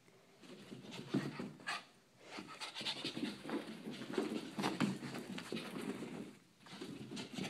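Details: Poochie, a female pet dog, indoors after dashing around the upstairs bedrooms to burn off excess energy on a hot day; soft, rapid, breathy panting runs steadily through the clip over faint room noise.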